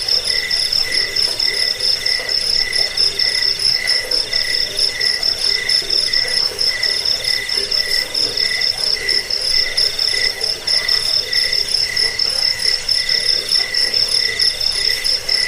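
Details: Crickets trilling nonstop, played to chase away rats and to train birds. A steady shrill high trill is broken into rhythmic pulses, with a lower chirping voice repeating regularly beneath it throughout.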